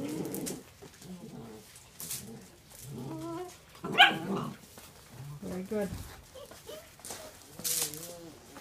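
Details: Eight-week-old Otterhound puppies playing with their mother: short high whining yelps and yips rising and falling in scattered bursts, overlapping people talking and laughing nearby.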